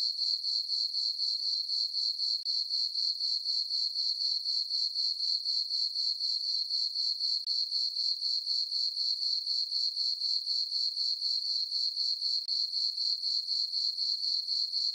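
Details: Crickets on a calm summer night, in a farm meadow lit by the full moon, keep up a monotonous high trilling chirp with rhythmic pulses near four per second and no other noise.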